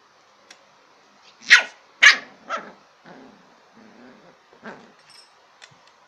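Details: Playful Lhasa Apso puppy gives three loud, sharp barks about half a second apart, followed by quieter grumbling sounds and one more fainter bark.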